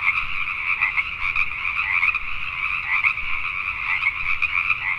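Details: Many Pacific tree frogs croaking together after dark in Richmond, British Columbia, Canada; continuous dense chorus of short raspy notes, with a few nearer callers briefly rising above the mass.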